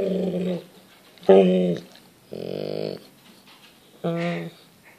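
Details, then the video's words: A pet Golden Retriever grumbles to ask for his dinner after the family finishes eating, indoors; four low, drawn-out harmonic moans about a second long each, separated by short pauses, with a person speaking nearby. "Ziggy wants Din Dins"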